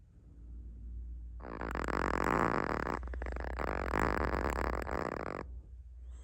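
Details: A sleeping Chihuahua called Naomi gives a long, loud, grating snore of about four seconds, briefly broken midway, with softer breathing before and after.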